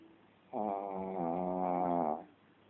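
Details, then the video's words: A single drawn-out snore from a sleeping Shih Tzu, a rough, buzzy, rattling breath lasting nearly two seconds in a quiet room. "Snoring shitzu"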